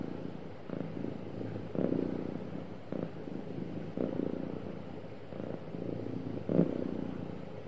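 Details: Soft, low, even purring from a happy cat, gently rising and falling in waves about once per second with faint breath breaks and a slight swell near the end.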